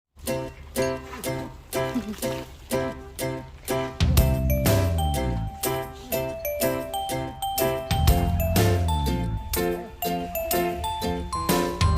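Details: Rhythmic music with bright chiming tones and a steady beat, with no animal voice heard.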